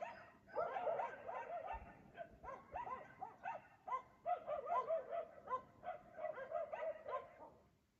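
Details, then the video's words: Dogs in Aliseda (Los Galaperos) bark at 3 AM while their owners sleep; dense, nearly continuous volleys of loud barks, some yelping, fading out at the end. "Ladridos de perro a las 3 AM"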